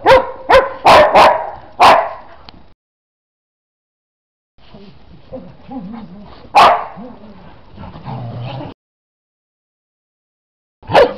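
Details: Dog playing in snow barks in a quick run of four or five sharp barks, goes quiet, then gives a soft whine and one more bark; a final bark closes the recording.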